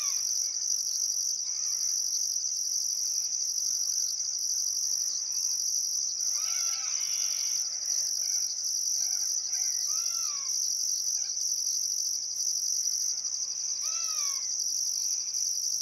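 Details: Outback Queensland crickets at a summer sunset on the Barcoo River, Welford National Park: a dense, continuous high trill with a second chirping layer pulsing steadily, while scattered birds call with bright arched whistles throughout.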